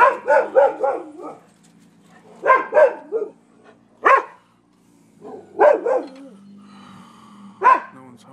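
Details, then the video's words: Neighbors' dogs at a Florida property on 12/7/15, part of a thirty-minute stretch of nuisance barking: bursts of loud, sharp barks, first a rapid run of four, then pairs and single barks after short pauses. "Barking Dogs"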